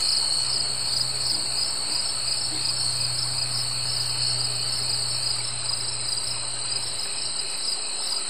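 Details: Summer insects keep up an unbroken high buzzing trill in two shrill layers, over a low steady hum running through most of the recording.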